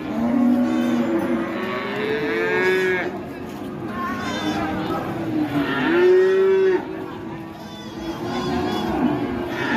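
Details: Cattle raging after being let loose, with an elderly handler nearby: several loud, drawn-out moos overlap, each a rich harmonic bellow lasting one to two seconds, swelling and falling, with brief quieter gaps between them.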